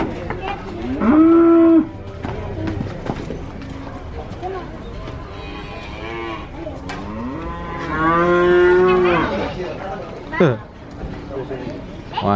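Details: Cattle mooing: two loud drawn-out moos, the first about a second long near the start, the second longer around the eighth second, each steady then falling away, with quieter background noise between.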